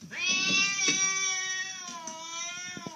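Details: House cat giving one long, drawn-out yowl lasting about three seconds, steady and strongly tonal before sagging slightly lower toward the end, with faint background rustle indoors.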